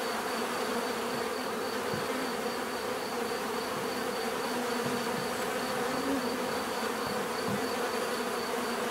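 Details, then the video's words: Bees buzzing in a constant dense drone, low layered hum with brief nearer buzzes passing at intervals and a thin high tone sustained over everything. "bees therapy relaxing natural buzzing sound"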